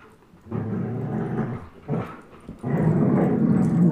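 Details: Two pet dogs, German Shepherd Chase at 10.5 months and Old English Sheepdog Blizzard at one year, playing tug of war; a steady, grinding low growl builds after a quiet start, briefly dips, then returns louder.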